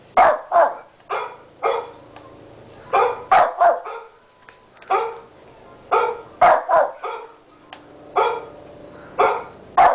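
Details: Indoor barking from Tommy, a small 13-pound Shih Tzu kept as a pet, aimed at the computer; crisp high barks come singly and in quick doublets, spaced irregularly across the ten seconds.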